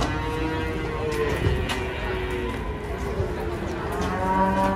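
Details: Cattle mooing while being unloaded from a truck: drawn-out, low, harmonic lowing that holds steady across the clip, with a rising tone near the end, over a background of constant hum and clatter.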